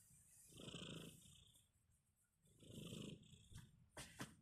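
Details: A kitten asleep gives two slow, airy snores about two seconds apart, low and raspy, followed by a few sharp clicks or taps at the end.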